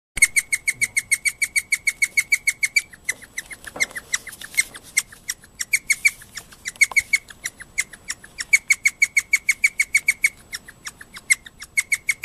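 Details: Pet guinea pig named Moka, excited in the middle of the night after a housemate guinea pig squealed shrilly, gives a fast alarm-like series of sharp, high squeaks, about three per second, pausing briefly midway before resuming.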